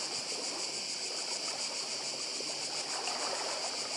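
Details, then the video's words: A continuous, high-pitched trill of cicadas on the Croatian island of Badija, finely pulsed and unbroken, layered over a gentle rushing of sea water. "Cykady i szum morza w Chorwacji"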